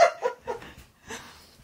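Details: Husky Keyush, indoors at a birthday party for his best friend, gives a quick run of three short, harmonic, yelping notes, falls quiet, then adds one more brief note.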